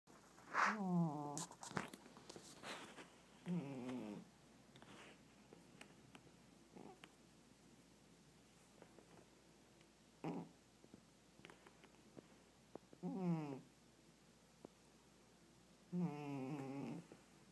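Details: A sleeping Siamese cat snores as loud as a human, in soft, nasal, buzzy breaths that come every few seconds.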